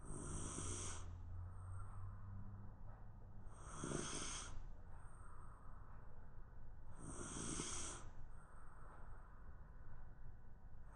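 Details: Napping Shiba Inu lying on the floor, snoring rhythmically. Three drawn-out, wheezy snores come roughly every three and a half seconds, each a breathy rasp with a faint hiss, over a low room hum.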